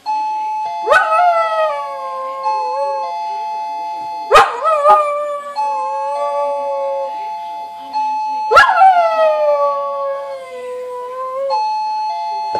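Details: Pet dog singing along to a ringing doorbell, a habit of running to the door to howl whenever it was pressed; three drawn-out howls, each rising sharply then sliding down over about three seconds, over steady sustained doorbell chime tones.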